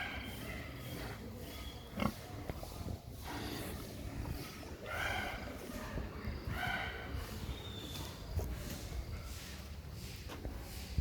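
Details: Duroc x Meishan crossbred pigs on a farm in Kenya, giving short low grunts and snorts scattered irregularly, with a few brighter squeal-like bursts, over steady background noise.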